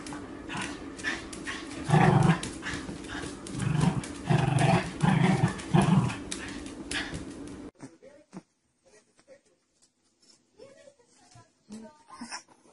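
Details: Angry dog growling in low, rumbling bursts around two to six seconds, followed by a quieter stretch with scattered faint sounds and near silence.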